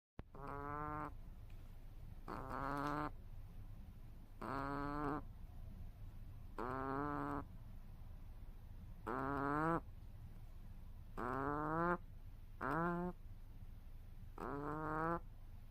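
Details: Pet rabbit snoring while asleep: eight regular harmonic rasping breaths about a second long each, spaced roughly two seconds apart, with a steady faint background hum.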